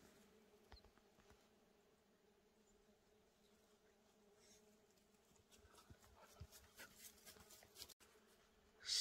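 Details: Many bees swarming the forest floor and canopy beside an old shack in the San Pedro wilderness, Santa Fe National Forest, near Cuba, New Mexico; a faint, steady low hum drones on beneath scattered clicks and rustles that grow busier toward the end.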